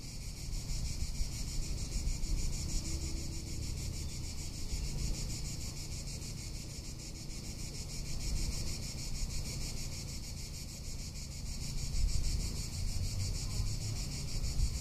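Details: Tuscan summer cicada giving a constant high, finely pulsed buzzing drone, while wind rumbles and swells in the low background.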